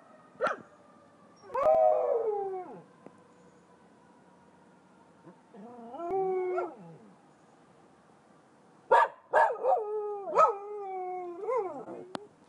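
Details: Two mixed-breed pet dogs, a golden retriever–duck toller cross and a Buhund cross, answer sirens. Short, quavering howls come in bursts with yips and barks between them, set against a quiet background.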